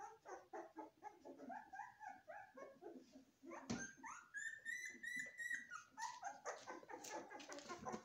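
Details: Several Golden Retriever puppies whining and yelping together, a busy overlapping chorus of short high squeaks and thin rising whimpers, some drawn-out cries, with occasional sharp yips and knocks.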